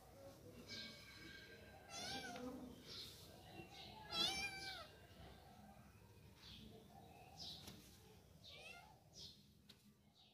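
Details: Kittens at play in a game of hide and seek give a string of thin, high meows, some short and some drawn out and wavering, spread irregularly across the recording over a faint murmur of other noise.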